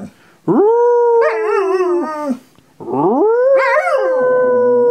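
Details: Howling Groenendael (Belgian Sheep Dog) named Nanook answers a person's howl: two long rising-then-level tones with a quavering middle section and a pause between them.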